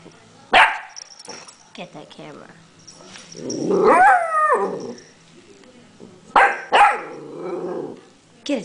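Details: Puppy barking at a pill bottle: a few sharp, loud barks near the start and end, with a person's voice urging it on and a drawn-out whining vocalisation in the middle.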